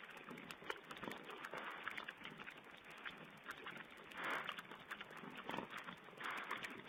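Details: Wild boar piglets feeding, filmed by a wildlife webcam on 16 April 2010. Short squeals and grunting bursts rise above a steady hiss. Louder squeals come near four and a half seconds and again near the end.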